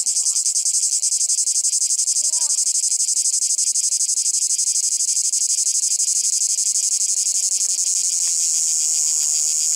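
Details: A cicada on a branch at Monte Brione, Lake Garda, Italy, in 2019, keeps up a loud, steady, high buzzing drone in daylight; mostly the males make this song.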